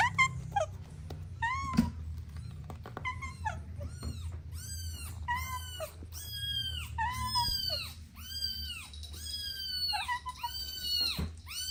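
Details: Young kittens playing together near their mother give a quick run of a dozen or so soft, high mews. The mews are short and arched, come about once a second, and grow steadier in the second half. A faint low hum sits underneath.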